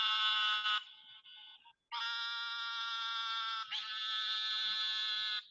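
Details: Eastern narrow-mouthed toads (Gastrophryne carolinensis) in the Southeast Texas (Houston) area give loud, nasal, buzzing advertisement bleats, each held steady for a couple of seconds like a sheep; the call is very loud for the toad's size.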